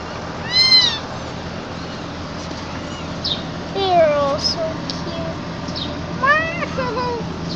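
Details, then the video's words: Gray kitten of mixed breed meowing while being carried, high rising-falling mews mixed with a person talking and other lower wavering cries. "Cute baby cat meows loudly."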